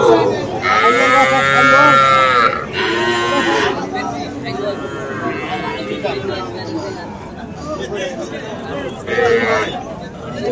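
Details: Sahiwal bull calves at a cattle market in Mymensingh, Bangladesh, on 7 February: loud, drawn-out harmonic calls fill the opening seconds, with a shorter call near the end, over constant men's voices and crowd chatter.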